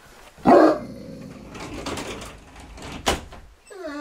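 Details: A dog named Gort spots a deer and gives one sharp, loud bark early on, followed by quieter rumbling and a short rising whine at the end.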